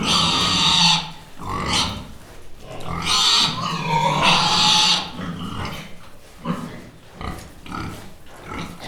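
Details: Pig (Sus domesticus), squeals and grunts.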